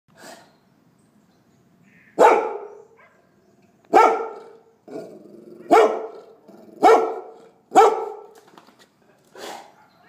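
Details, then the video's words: Golden Retriever puppy barking indoors: loud, sharp single barks spaced about one to two seconds apart, some followed by a short growly tail, with quiet gaps between. "Cachorro Golden Retriever Latindo"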